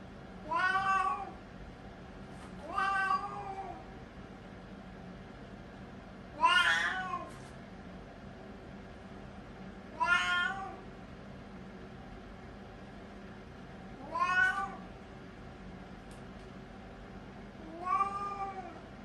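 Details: A 3-year-old Siamese cat using the toilet gives six loud, harmonic meows that rise and fall, spaced irregularly a few seconds apart; it meows due to constipation.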